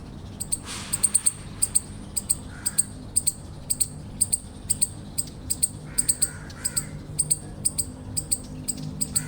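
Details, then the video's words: Eastern chipmunk repeating piercing, clicky chirps, often in doublets, steadily through the recording, with a few soft mid-pitched noises and a continuous low drone in the background. "Eastern Chipmunk Chirping Sounds"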